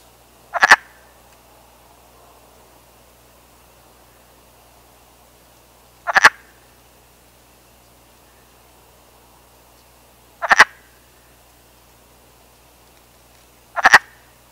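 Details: Male wood frog calling females from the water during spring breeding in North America; four brief, harsh duck-like clucks spaced roughly four to six seconds apart, otherwise near silence.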